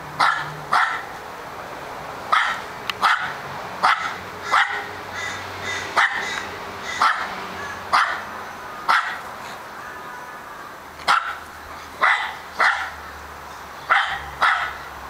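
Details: Charlie, an Australian Terrier, barks his little heart out: sharp repeated barks about every half second to second, each burst bright with strong harmonics, with short quiet gaps between and a faint low hum underneath.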